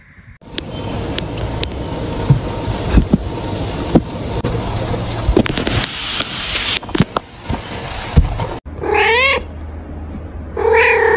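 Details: Kittens at play: a long stretch of scuffling and rustling noise gives way near the end to two loud, wavering meows, rising then falling, about two seconds apart.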